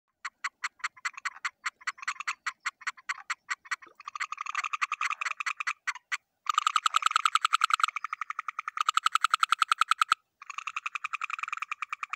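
Sharp, evenly spaced clicks from a frog open the recording, several each second. They soon merge into dense, rattling bursts broken by short pauses, suggesting more than one frog calling at once.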